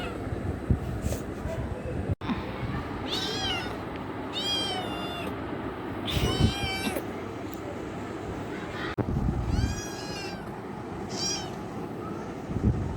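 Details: Kitten seeking love gives a series of drawn-out, harmonic meows, some wavering and strained, spaced irregularly across the recording, with low rumbling background noise and a few sharp clicks.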